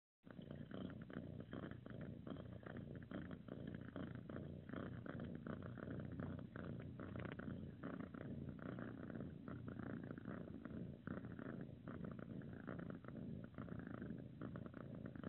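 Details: Calico kitten cuddling gives a steady continuous low rumbling purr throughout, soft and close, with faint rustling.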